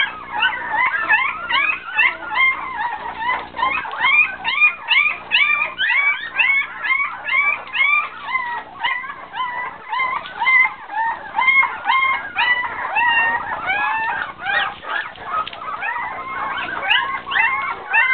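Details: Several poodle puppies waiting for their mother's milk whine together in a dense overlapping chorus of short rising and falling squeals, some stretched into little howls, continuing without pause for about eighteen seconds.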